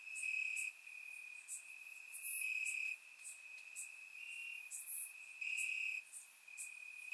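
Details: Warm summer night in Bulgaria, crickets chirping in grass: a continuous high ringing trill that rises and falls in loudness roughly every second, overlapping callers and brief higher pulses, otherwise quiet.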